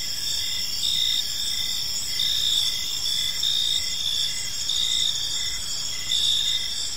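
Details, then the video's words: Park crickets at evening: constant high ringing trills with regular swells close to once per second, plus a quieter pulsed tone lower down and faint background noise. "Park Serenade: Cricket Sounds in a Peaceful Park | Evening Ambience"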